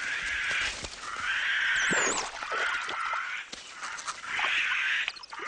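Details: A low-status white-faced capuchin gives a harsh, repeated snake alarm call deceptively, scattering others from the water so he can keep food from dominants.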